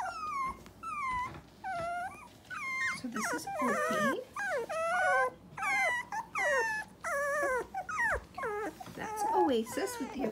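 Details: Three-week-old Dachshund puppies from one litter, very vocal: shrill, wavering whines and yelps, some falling, some rising, come in short bursts with brief pauses, several pups crying over each other.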